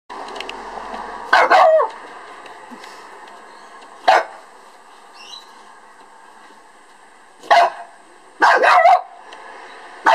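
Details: A male Lhasa Apso gives sharp, bright barks, some in quick pairs, separated by pauses of several seconds, as he tries to bark at a beetle.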